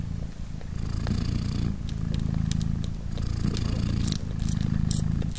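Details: British Shorthair mother cat named Polina purring indoors beside her three-day-old newborn kittens while they nurse; steady low rumbling purr in long cycles, with softer airy inhale phases roughly every two seconds and faint small clicks.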